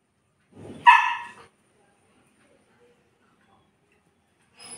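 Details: Saint Bernard dog locked alone in a room, giving a single short, loud, harmonic bark that breaks off quickly into silence, with a faint voice at the end.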